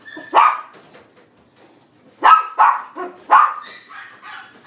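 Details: White-and-black mixed-breed male puppy in a pet shop, born 31 December 2018, giving sharp, yappy barks: one single bark, a pause of nearly two seconds, then a quick pair and another bark, followed by softer trailing yips.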